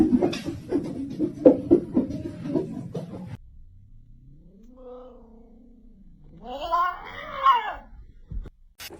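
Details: Domestic cat making weird noises: about three seconds of rapid, rough, crackling pulses, then a soft, low, drawn-out moan that rises and falls, ending in a louder, arched, wavering yowl; quiet room.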